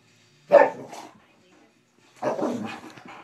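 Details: A big male dog, described as goofy and given to spinning in circles, gives two harsh, broadband barks about 1.7 seconds apart, the second longer and rougher, with a quiet pause between.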